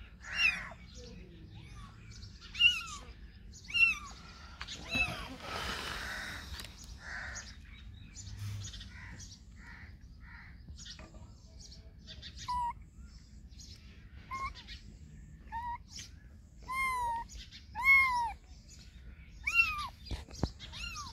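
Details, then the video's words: Cats and kittens meowing in a compilation: a run of short, downward-curving whiny meows, some clustered and repeated about once a second, with a noisy rustling burst near the middle and faint bird-like chirps. "Funny Cats and Kittens Meowing Sound Effects Compilation Cat Meow"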